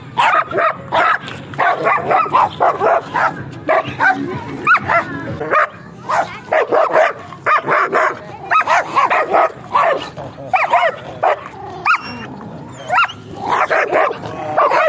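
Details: Stock-coat German Shepherd giving a long run of rapid barks, dense and overlapping, with occasional higher yips and whines among the bursts and brief gaps of quiet.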